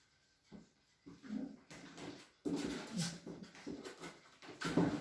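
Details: Cavalier King Charles Spaniels at a breeder's home in a small village in the Sierra de Madrid, Spain, named Chelsea and Cloe; soft, short whimpering bursts begin after a near-silent start and grow louder.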